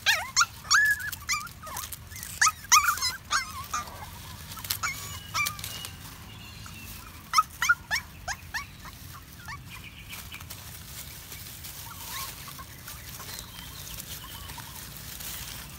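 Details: Puppy happy while walking in the woods, giving bursts of high, thin whimpering yips that bend upward and down, clustered in the first four seconds and again briefly later, then fading into a quiet outdoor background.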